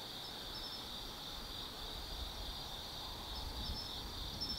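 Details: Autumn insects singing at night in the forest of Tsukimi no Mori, Kaizu, Gifu, Japan, beside a lookout above the Nobi Plain: a steady high continuous trilling chorus with occasional brief higher chirps.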